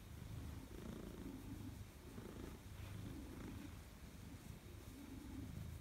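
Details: Maine Coon named Madoka, a pet recorded on 4 December 2019 while greeting its owner at homecoming: a low, soft rhythmic purr, pulsing roughly once a second, steady throughout with faint room noise.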